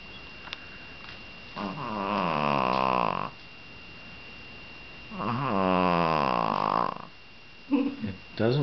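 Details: A female dog (Canis familiaris) gives two long, low, rattling purrs like soft snoring while being picked up or petted, lying motionless.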